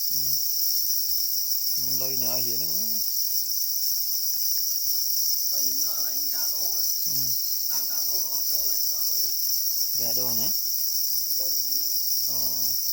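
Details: Para or black cricket guarding its eggs and said to be angry; a constant high ringing trill continues steadily, with a man's voice speaking in short phrases over it.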